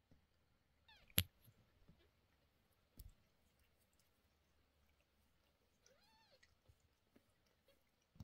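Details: Mother cat indoors, agitated while medicine goes into the sore eyes of her 11-day-old kittens; one drawn-out meow arches up and falls near the end, after sharp knocks and clicks and a few faint mews earlier.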